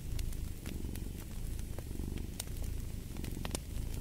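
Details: Deep vibrating purr from a cat, rolling in breath-paced waves, with a crackling fireplace adding scattered pops and sizzles over the rumble.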